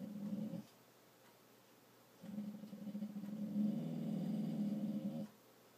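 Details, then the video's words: Dog holding back a bark with low growls indoors: a short rumble, a pause, then a long steady growl swelling louder for about three seconds. "Trying not to bark"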